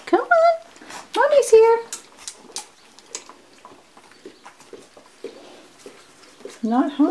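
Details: Two-week-old Labrador Retriever puppies of a litter, indoors, 11 January 2016, giving loud whining cries that rise and fall with stacked overtones, two near the start and one at the end, with a woman's soft voice between.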